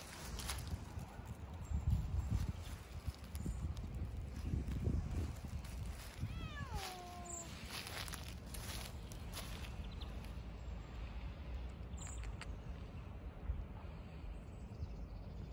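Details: Siamese cat gives one short, falling meow against a steady low outdoor rumble, shaking his cold paws after walking in snow.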